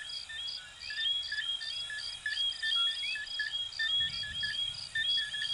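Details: Chorus of coquí frogs, Venezuela and Puerto Rico. Many brief whistled notes overlap, with bright rising glides standing out, over continuous high-pitched pulsing chirps and a faint low rumble.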